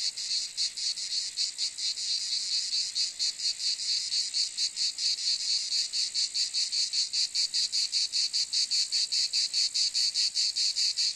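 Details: Continuous high rasping drone of a cicada, chopped into fast rhythmic throbs that grow sharper and more regular toward the end.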